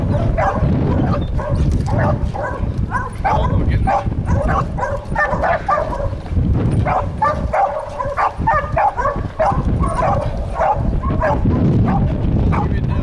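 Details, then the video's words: Two Catahoula dogs, Sam and Maya, treeing a raccoon: a dense, continuous chorus of rapid overlapping barks and yips with steady loud low rumble beneath. "Catahoula Treeing"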